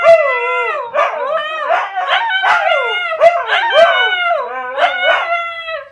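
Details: Jiffy and Penny, two Siberian Huskies, howl back and forth in a continuous overlapping chorus of wavering, sliding tones punctuated by sharp yelps.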